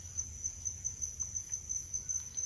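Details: A cricket in the forest at Maquiné, Rio Grande do Sul, Brazil, gives a steady, very high-pitched trill pulsing about five times a second, with a soft low rumble underneath.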